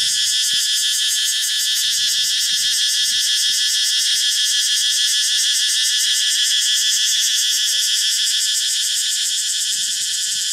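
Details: A male Thai cicada in the jungle of Thailand sings a loud, steady, shrill buzz with a fast, rapid pulse that never lets up.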